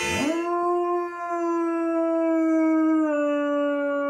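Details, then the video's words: Kodi, a long-coated male American Akita aged four and a half, finding his voice after years of only occasional barks; one long, steady, clear howl, quickly rising then held level for about four seconds with a slight drop near the end. "My American Akita Kodi learning to sing"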